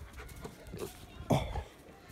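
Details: Six-month-old Rottweiler playing outdoors in nice weather, February 2021: one short, deep, harmonic bark mid-clip amid soft panting and rustling, with a man giving commands nearby.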